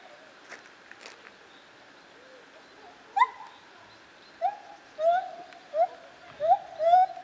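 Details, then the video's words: Lar gibbon, also called white-handed gibbon, at Zoo Opole in 2015. After about three seconds of quiet background, a series of clear, rising, whistled hoots begins. The hoots come roughly every half to one second and grow louder toward the end. "Lar Gibbon - Gibon Białoręki"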